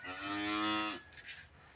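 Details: Cattle during a procedure to clear metal objects from its stomach: a single loud, harmonic moo of about one second, steady in pitch and then dropping sharply at the end, followed by faint background noise.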